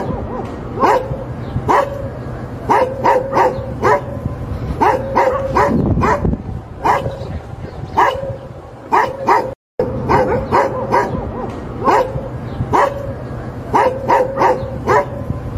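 A Labrador Retriever barks repeatedly in short, sharp, mid-pitched bursts, often in quick pairs.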